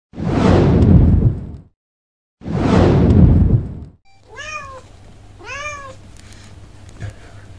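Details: Domestic cat among a household of eight cats playing with a new toy indoors; two loud whooshing noise bursts open, then two clear, arched, tonal meows rising and falling, about a second apart, over a low steady hum.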